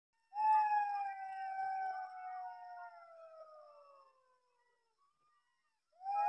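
A jackal howls in a long, drawn-out tone, sustained for several seconds as it gradually falls in pitch. The note wavers slightly before fading, and a fresh howl begins at the very end.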